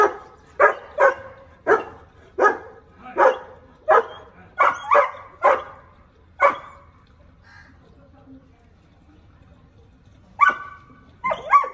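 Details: German Shepherd barking at an intruder: a run of about a dozen loud, sharp, evenly spaced barks roughly every half second to second, then a pause before a few more barks and a person's voice giving commands.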